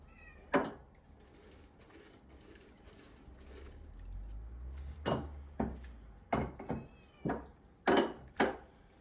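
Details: Munchkin cat Chacha, normally gentle, turns furious when another household cat, Pocha, sniffs its rear indoors; a quiet stretch of rustling, then a run of sharp, harsh, spitting bursts in quick succession over the last four seconds.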